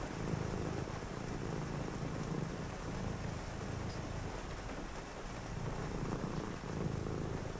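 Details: On a rainy night, a cat purrs contentedly while someone reads nearby. A deep, continuous rumble pulses with each breath, rising and easing every couple of seconds against steady background rain hiss.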